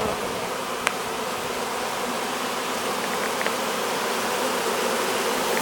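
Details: Swarm of honey bees being hived, fanning at the entrance: continuous loud buzzing hum, even and unbroken, with a single sharp click near the start and a few faint ticks later.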